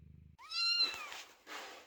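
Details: Kitten meowing loudly at a door while the mother cat Chloe gives birth inside: one clear rising then falling meow with bright overtones, followed by a softer breathy trailing sound.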